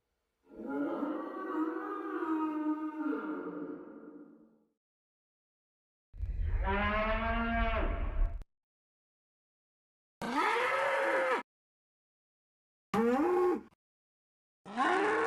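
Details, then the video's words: Cape buffalo giving a long, low, groaning bellow of about four seconds. A shorter, richly harmonic moan follows, then three brief, abruptly cut calls that rise and fall, separated by silent gaps. "European Cape Buffalo Sound Effect"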